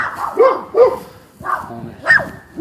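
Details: Neighbour's domestic dogs barking from a front yard at dogs kept in a backyard, a situation said to get worse; a few separate mid-pitched barks spaced about half a second apart, with quiet gaps between them.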